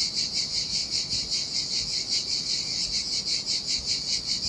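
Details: Cicadas singing in the summer heat beside the Sardinian sea at a desolate beach: a dense, high buzzing chorus that pulses steadily, about two to three beats per second, with no other clear sounds.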